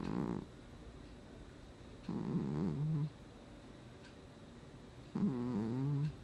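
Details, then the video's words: Cat snoring in its sleep, recorded August 2020: three low, vibrating snores, each lasting about a second, spaced about two and a half to three seconds apart in a quiet room. "Кот храпит во сне"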